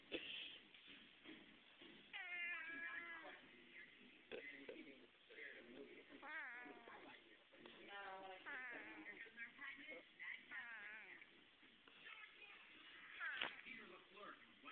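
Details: Male pet cat making weird noises while being held: a run of short wavering, chirping mews and trilling cries, several in quick succession, with human voices and handling sounds in the background.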